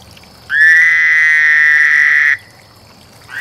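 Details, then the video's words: Frog calling during mating: a single loud, steady, buzzy trill held for nearly two seconds, even in pitch, before cutting off abruptly, with another call beginning at the very end. "Frog Lovefest"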